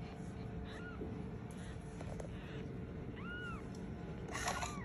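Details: A black kitten, tagged Scottish Fold, gives a few thin, high meows, each rising then falling, crying for its mother.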